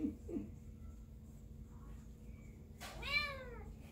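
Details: Shelter kitten at an animal care center in Seal Beach, California, USA, adopted together with a sibling, chattering indoors: faint short sounds early, then one loud, clear meow rising and falling in an arch near the end, over low room hum.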